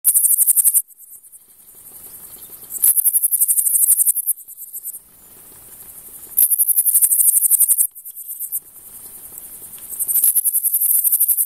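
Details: A Frivaldszky's bush cricket (Pholidoptera frivaldskyi) sings in high, hissing bursts of rapid pulses every few seconds in a humid meadow near Kosari, Cherkasy Oblast, Ukraine, on 5 July 2023.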